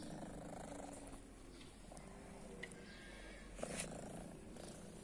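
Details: Close rumbling purr from a probably deaf female cat with a blue eye, living on guarded private grounds; continuous low throbbing, broken by a couple of brief sharp clicks or taps.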